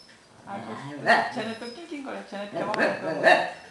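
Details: Albus the Tibetan Terrier lectures a visiting beagle with his talking voice in place of barking, producing rolling, undulating grumbles and whiny moans in two louder bursts.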